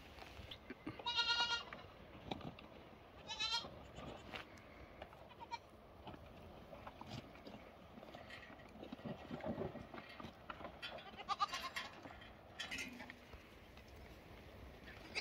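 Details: Young lambs bleating: two high, quavering bleats with stacked harmonics come in the first four seconds. Fainter bleats and scattered farmyard clatter and rustling follow through the rest of the recording.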